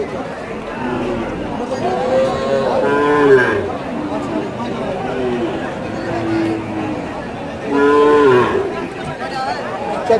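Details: Calves for sale at a cattle market in Choubaria, Manda upazila, Naogaon, recorded 28/09/18: two lowing moos about five seconds apart, the second louder and bending downward, with ongoing background talk from buyers and sellers.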